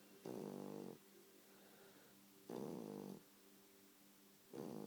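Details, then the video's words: A sleeping four-month-old bulldog puppy snores in three loud, raspy, harmonic-rich bursts, each lasting under a second and spaced about two seconds apart, over a quiet steady background hum. "Snoring bulldog puppy"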